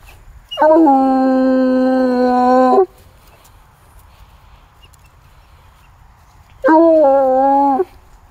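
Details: Bluetick Coonhound on a scent trail it followed from a walk to a tree in the woods. Two long mournful bays: the first held over two seconds, then a pause, then a shorter second bay with the same steady, ringing tone.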